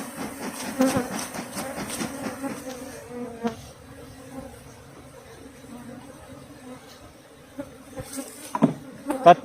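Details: Asian honey bees of a Thai farm colony, foraging on wild flowers without being fed, hum during a comb harvest: a steady low droning buzz with overtones, interrupted by knocks and handling noises.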